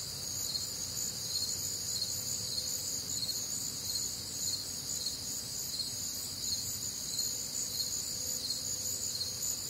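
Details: Warm, humid summer night in the Midwest, crickets and other nocturnal callers: a constant high, ringing trill chorus in several stacked tones, evenly pulsing, with a faint lower hum drifting in and out.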